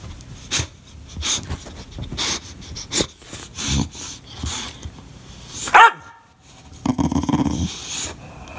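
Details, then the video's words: English Bulldog throwing a fit, barking and crying when not played with. Short gruff barks and wheezy yelps repeat irregularly, rising to a loud, high, strained cry near the end, then rough grumbling barks. "My English Bulldog that sounds like an Ewok when he throws a fit!!!"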